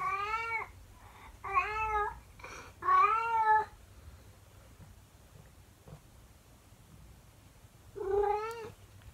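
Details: A calico female cat sings her morning song alone in a room once her owner steps out. Four loud, quavering, harmonic yowls come, three in quick succession, then a pause with faint household rustle before a final howl.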